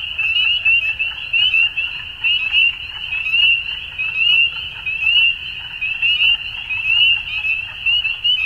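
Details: At dusk, frogs fill the air with a shrill, buzzing trill chorus; short bright notes pulse about once a second above a steady high drone, with a quiet low rumble below.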